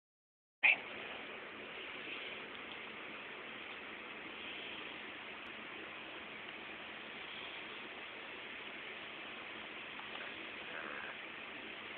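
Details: A steady, even hiss of broadband noise begins after a brief click and continues unchanged to the end, with no animal sound.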